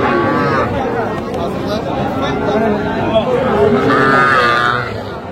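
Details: Young bull and heifer calves, Sahiwal among them, at a cattle market in Tangail, Bangladesh, on 7 July 2025: two drawn-out harmonic moos, one at the start and one near the end, over constant bargaining voices and crowd chatter.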